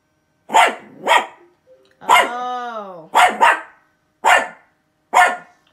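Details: Havashu dog barking at something: quick paired and single sharp barks, broken by a long drawn-out whining howl that rises and then falls, followed by more evenly spaced barks.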